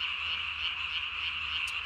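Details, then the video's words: Japanese tree frog calling at night on 3 May 2020, its throat vocal sac inflated to the size of its body; a dense, steady high-pitched chorus drone with no clear separate notes. "밤에 우는 청개구리 울음판이 몸통 만큼 크네요?"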